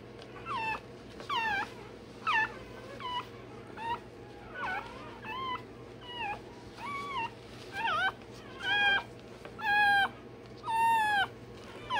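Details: Newborn Rottweiler puppy, one day old, having its tail and dewclaws done, gives a run of sharp, piercing yelps roughly every second for twelve seconds, growing louder and more strained toward the end, over a faint hum.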